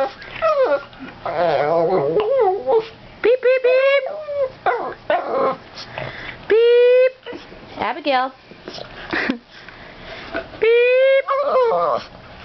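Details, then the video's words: Boston terrier Abby, three years old, singing at home: wavering whimpers and rising yips alternate with several held, rising howls, while a person talks over and between them. "Abby, the Boston terrier, Singing"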